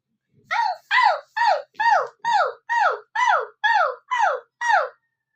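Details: Husky, tired and panting, calling in a steady run of ten short, falling, harmonic howl-like yelps, about two each second, in a quiet room with nothing else heard.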